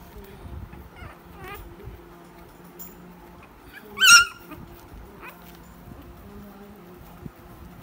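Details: Shih Tzu puppy whimpering: a few faint, short whines early on, then one loud, high, wavering yelp-like whine near the middle, followed by another brief soft whimper, over a quiet indoor background.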